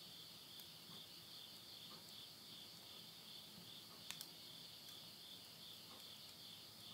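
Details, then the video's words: Midnight insect voices in Yurihama, Tottori, Japan, at the close of summer 2020: a bright, sustained high trill with rapid soft pulsing, and a double snap of burning wood near the middle. "the voice of insects"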